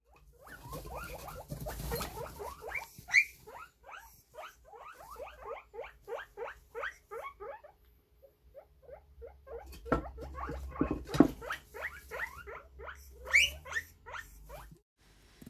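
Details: A guinea pig wheeks, giving loud, rapid, rising squeals in long runs, a call most often used to beg for food and also to seek attention or show excitement.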